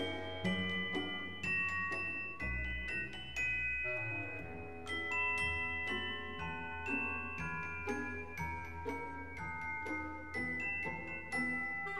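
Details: A gentle glockenspiel melody of bright, chiming struck notes plays steadily, with no animal voice.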